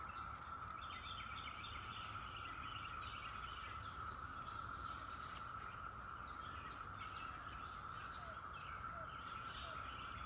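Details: 17-year cicadas at the end of May among flowers: a steady, unbroken droning whine held at one pitch throughout, with faint bird chirps scattered above.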